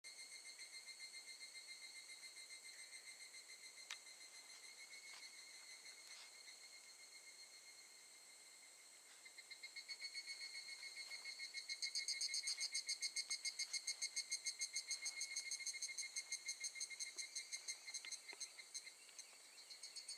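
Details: Evening cicada singing at Gakujin-no-Mori campground in Tokushima, Japan, August 2018; a high, bright ringing tone with rapid pulsing, swelling from steady trill into loud, fast repeated chirps midway, then fading, several insects overlapping.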